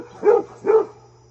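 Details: Two full, deep barks in quick succession from Fred the Basset Hound, who is being visited by his deer friend; a low steady hum sits underneath.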